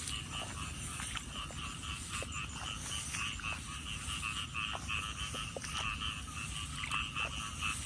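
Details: A chorus of frogs heard during a walk in search of them, many callers overlapping in a constant buzzy, pulsing drone with a high ringing trill on top, punctuated by short sharp clicks and a low rumble beneath.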